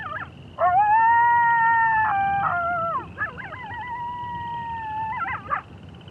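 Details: Coyotes howling together, sustained level howls broken by quick slurred breaks, then a wavering, trilled howl that bends up and down before fading.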